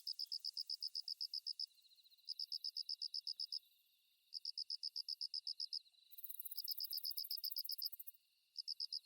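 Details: Kusa-hibari cricket (Svistella bifasciata), a species that calls mostly from dawn into the morning: quiet high trilled bursts about a second long with short gaps, overlapped midway by a louder, hissier insect chirring.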